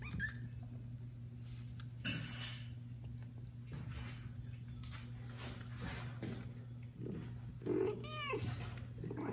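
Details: Domestic kitten separated from its mother, meowing loudly for her: high thin harmonic meows with rising-falling arcs near the end, a short squeak around two seconds, over a steady low indoor hum.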